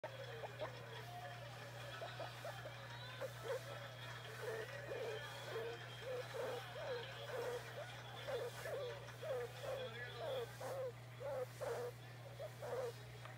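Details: Pet guinea pig named Oimo-san, acting demanding and wanting to be petted, gives a long series of short, low, wavering calls in quick succession, with a steady electrical hum underneath.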